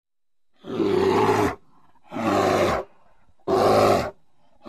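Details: A North American grizzly bear gives deep, rough roars, each under a second long, repeated about every second and a half.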